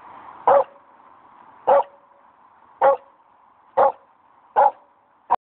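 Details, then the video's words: Staffordshire Bull Terrier scared of a plastic chair at a dog park, barking for the first time: six abrupt, evenly spaced woofs roughly one per second, all similar in strength, over a low steady hum. "Barks For First Time"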